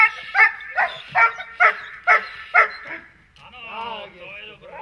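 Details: Protection-training dog gives six evenly spaced loud barks, roughly one every half second, after which a human voice takes over and the barking stops.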